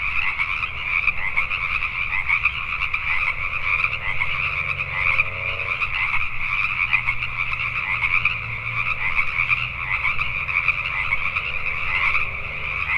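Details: Many Pacific tree frogs croaking after dark in Richmond, British Columbia, Canada, a steady pulsed chorus with no gaps; faint low droning and soft sliding tones pass in the background.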